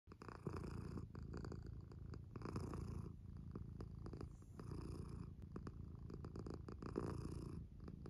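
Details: Female tabby cat purring: a steady, low rumbling purr that swells and fades with each breath, with soft rustling in a quiet indoor setting.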